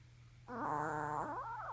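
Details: A sleep-talking puppy gives a single drawn-out, moaning whimper. It rises slightly, holds steady, then bends upward at the end. A constant low electrical hum sits underneath.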